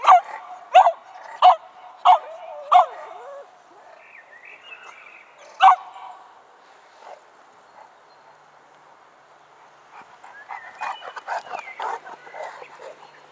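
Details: Pet dogs playing outside after a new haircut: five sharp barks in quick succession about two-thirds of a second apart, a lone bark a few seconds later, then a burst of higher-pitched yips and whimpers near the end.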